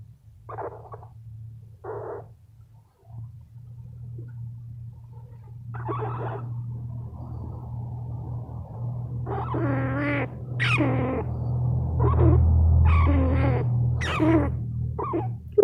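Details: Male rescue squirrel being petted and growing sleepy before a nap: bursts of squeaky, grunting chirps, sparse at first and then denser and louder, over a continuous low purr-like drone.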